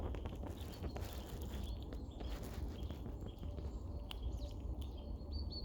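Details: Female red squirrel on a snow-free day, hurriedly eating and storing nuts and tree seeds, chuckling and squeaking at two other squirrels nearby to warn them off. Bursts of clicky, squeaky chatter and thin high squeals come over a steady low rumble.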